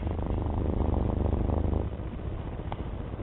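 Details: Domestic cat purring close by, a deep pulsing rumble that is strong for almost two seconds before softening, with one brief click near the end.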